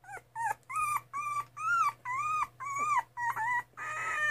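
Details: Two-and-a-half-week-old Miniature Schnauzer puppy whimpering: about nine clear, thin, arched whines in a steady row, each under half a second, over a low constant hum.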